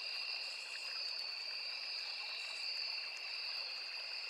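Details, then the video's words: A constant high insect drone of crickets and cicadas in a forest by a small river, two piercing steady tones from many callers, with a gentle stream murmuring beneath. "Sound of Forest and Small River | Crickets, Cicadas, Insects"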